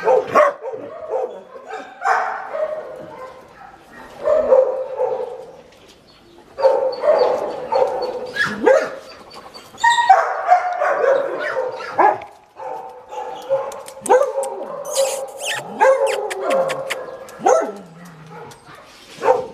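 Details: Male neutered two-year-old German Shepherd mix at a shelter in Lleida, Spain, giving a run of short, harsh barks in irregular bursts, some yelping and higher-pitched, with brief pauses between volleys.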